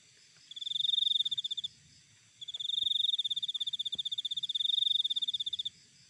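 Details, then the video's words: Cricket recorded outdoors: a short shrill pulsed trill, a brief pause, then a longer rapid trill of about three seconds, with two faint clicks in the background. "Cricket Sound Effect"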